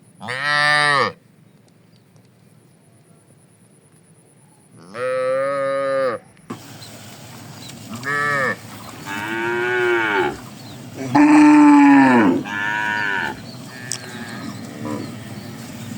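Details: Tame cattle in a herd among wide green rice fields in the morning, grazing and moving slowly. Separate harmonic moos of about a second each at 0, 5, 8, 10, 11 and 13 seconds, some overlapping, with a steady hiss between calls.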